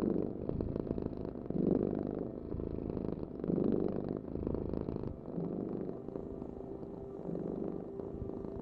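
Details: Close, low purr of a domestic cat, pulsing in soft breath-paced waves roughly every two seconds, with a faint steady hum appearing in the final seconds.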